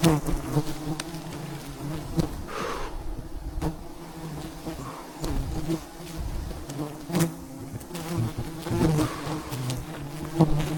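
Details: A mass of bees buzzes around a giant wild mountain beehive as honey is collected by traditional methods; the low humming drone rises and falls, with occasional rustles and knocks.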